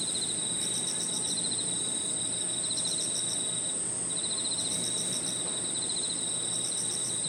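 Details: Crickets and other insects singing on an evening in a park: a steady high shrill drone with pulsed, rapidly repeated trills layered just beneath it, over soft low rumbling background noise.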